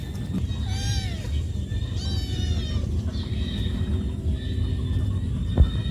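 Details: Cat calling to its mother for food: two drawn-out, high-pitched meows that rise and then fall, both early in the recording, set against a constant low rumble with a soft knock near the end.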